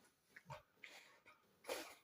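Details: A Rottweiler gives short, grunting growls and whiny grumbles in quick bursts, showing annoyance and play-biting at its owner's hand.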